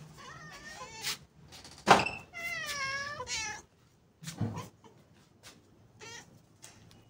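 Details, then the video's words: Stray cats being fed give several loud, wavering meows with rising and falling harmonics, the longest drawn out for over a second, interspersed with short sharper calls and a brief spoken voice. "Feeding Stray Cats"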